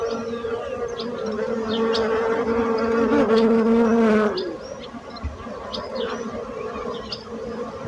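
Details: Bee buzzing swells into a loud close whine that drops in pitch and fades around four seconds, leaving a softer background hum with faint chirps.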